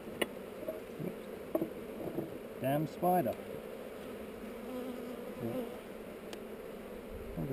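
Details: Honey bees on heather during a hive inspection filmed with a GoPro: a steady low buzzing hum throughout, with a few brief louder swells and clicks near the three-second mark.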